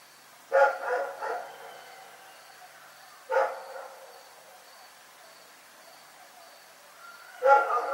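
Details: Rex the dog barks in the night: a quick triple bark, then a single bark near the middle, then another after a long pause, over a faint steady high-pitched tone.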